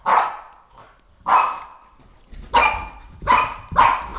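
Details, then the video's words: Boston Terrier, a three-and-a-half-year-old pet dog, barking indoors while attacking a flashlight; five sharp, loud barks at roughly one-second intervals, each with a bright, harsh onset. "Boston Terrier - Oscar vs Flashlight Psychotic War"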